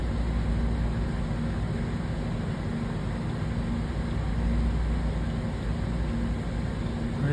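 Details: Steady engine and vehicle rumble with air-conditioning hum and murmured speech throughout, with no animal voice.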